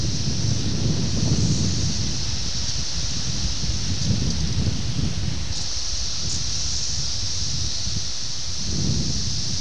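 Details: June 1987 emergence of 17-year Brood X cicadas at Ayersville, Ohio, filmed with a VHS camera; continuous shrill buzzing chorus with a brief shift in pitch midway, over gusty wind rumble.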